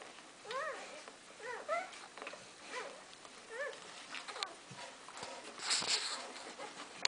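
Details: Golden Retriever puppies in their first week of life give high, thin whimpers in short arched squeaks while nursing.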